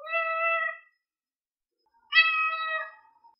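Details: Cat giving two clear meows in a quiet setting: a level, sustained first call, then after a pause a brighter second meow that trails lower.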